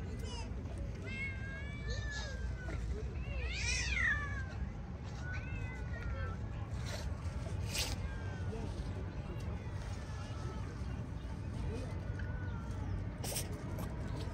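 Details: Street cats, a group fed cooked chicken and playing with a cat toy, give several short meows rising and falling in pitch, one louder drawn-out meow near the middle, over steady outdoor background noise with a person talking in Turkish.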